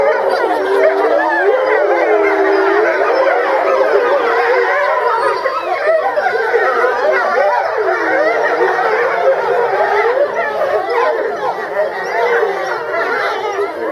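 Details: Grey wolves at Tama Zoo, Japan, November 2013, howling as a group; a busy tangle of wobbling, yodelling howls and short yips, many animals at once, tapering slightly near the end.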